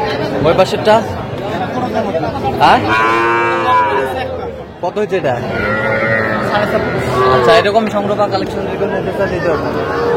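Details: Young Sahiwal bull and heifer calves at a cattle market in Tangail, Bangladesh, on 7 July 2025: two loud, rich moos, the first rising sharply then holding, the second longer and wavering, among men talking and crowd chatter.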